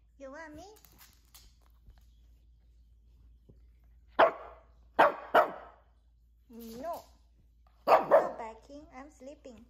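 A Maltese dog barks in quick, sharp, high-pitched yaps, singly and in pairs a second or so apart. Between the barks come softer, wavering, whine-like voiced tones.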